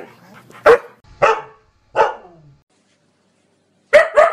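A Siberian Husky barks in short, harsh bursts, three spaced about half a second apart. After a quiet gap of over a second, two rapid barks follow close together.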